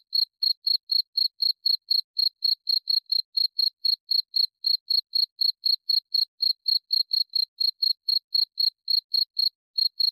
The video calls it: Suara Jangkrik cocok untuk teman tidur